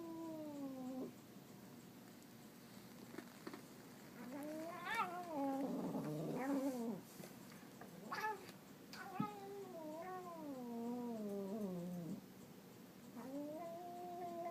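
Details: Domestic cat making a silly, funny noise: repeated wavering yowls of varying length, some rough and broken, with a few sharp clicks or knocks between the howls.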